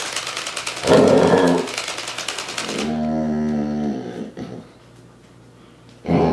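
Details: Basset Hound at a training session against invading robots: a short rough bark burst, then one drawn-out, wavering, harmonic bay lasting about a second, over rapid mechanical clicking and whirring in a small room.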